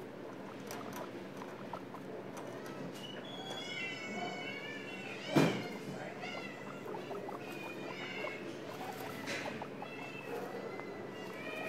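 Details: Eleven-day-old guinea pig babies, born to a pregnant stray in care at PHS/SPCA, give repeated arching, whistled squeaks, several overlapping, over a steady rustling background with one sharp knock midway.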